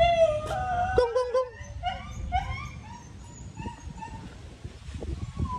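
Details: New Guinea singing dogs at a zoo enclosure in the United States, calling with wavering, tonal howls and yelps that slide and break in pitch, several voices overlapping, with background rustle and a person speaking nearby.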